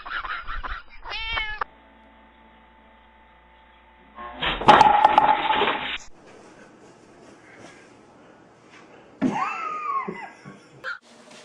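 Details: Domestic cat in a funny compilation: short harmonic meows open the recording, then a loud harsh noisy burst follows. A long arched meow rises and falls near the end, with human speech around it.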